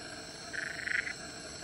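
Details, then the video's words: Black-eyed litter frog call during wrestling, Central Catchment Nature Reserve, Singapore, 19 Nov 2016; one raspy pulsed burst lasting about half a second over continuous insect buzz. "Wrestling behaviour of black-eyed litter frogs"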